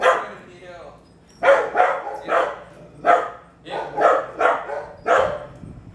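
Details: Dogs barking near a 3-year-old Bulldog mix during a private obedience training session: after a quiet second, a run of about eight loud, harsh barks follows in quick succession, some spaced under half a second apart.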